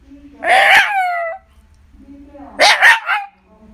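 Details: A pet Shiba Inu indoors makes a low groan that rises into a loud bark with a drawn-out, falling whine. After a short pause comes a second, doubled bark.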